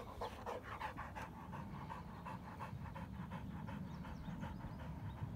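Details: Worn-out Rottweilers catching their breath after running and playing, with steady, fast panting. Each breath is a soft hissy burst, repeated several times a second over a constant low rumble.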